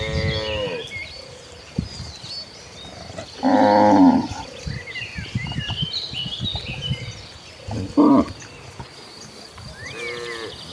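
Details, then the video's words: Tame village cattle in a herd heading to the green rice fields to graze: several low harmonic moos, a short one at the start, a loud one near four seconds, more around eight and ten seconds, with bird chirps behind. "Rombongan sapi lembu jinak yang sedang menuju ke ladang, suara sapi moo"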